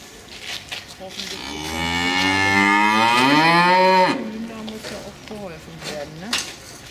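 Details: Cow, one of two wanting back into the barn at the accustomed hour, lowing loudly in protest at the late keeper: a single long moo of about three seconds that swells and rises in pitch before breaking off, followed by faint knocks.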